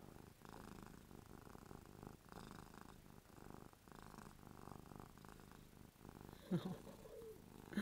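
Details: A domestic cat purring while happy and drooling indoors; a low, steady rumbling purr with regular pulsing breaths, soft and continuous, with a brief human voice near the end.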